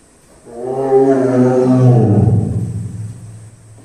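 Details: Captive tiger at Ehime Prefectural Tobe Zoo in Tobe, Ehime, Japan, growling right after drinking water: one loud, deep, rumbling growl with a steady low drone that swells, holds about two seconds, then roughens and fades.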